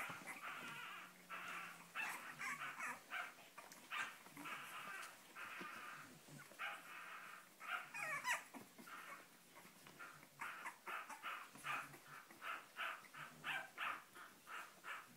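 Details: Cavalier King Charles Spaniel puppies of a Spanish litter born 7 April 2014 to Sarlat and Chloé, wanting out, keep up a steady chorus of high whines and yelps, with a low human voice heard now and then.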